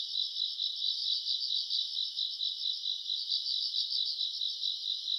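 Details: Grass insects on a summer night, recorded in August: a steady high, shrill chorus that pulses about twice a second without a break, with a faint thin overtone above it.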